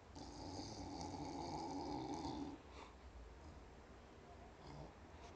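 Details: Staffordshire Bull Terrier named Kyra, indoors, complaining that she wants more popcorn: a low, nasal, droning grumble held steady for about two and a half seconds, then quieter breathy snuffles and a short snort near the end.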